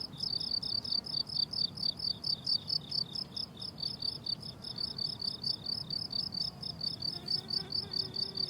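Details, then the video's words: Crickets on a blooming summer meadow in summer: a steady, rhythmic stream of high, shrill pulsed chirps, about two pulse groups per second, layered in two bright bands, with a faint soft hum underneath. "Relaxing Cricket Sounds on a Summer Meadow"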